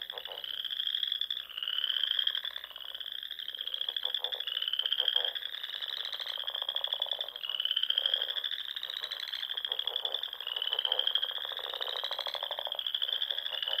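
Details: Spring frog chorus from the rolling dunes of the Sandhills, Nebraska, at dusk near small ponds; steady high-pitched trills repeated in rising strokes about every one to two seconds over lower pulsing croaks.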